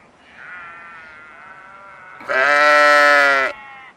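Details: Sheep calls, a soft drawn-out bleat from the flock first, then one loud, rich, quavering bleat lasting about a second.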